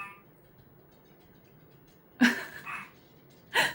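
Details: A quiet room with a few sharp human sneeze- or hiccup-like bursts and no animal sound.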